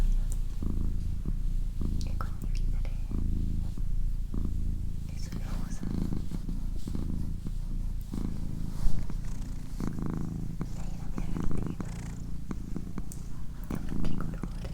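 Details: Female pet cat purring indoors, a steady low rumbling throb pulsing continuously, overlaid by a person's soft whispering and low murmured speech close to the microphone, with occasional light taps and rustles.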